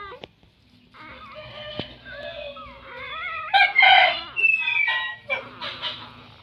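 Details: Several of nine newborn puppies cry in thin, sliding whimpers, building to a louder cluster of shrill overlapping squeals midway before tapering off into softer intermittent whines.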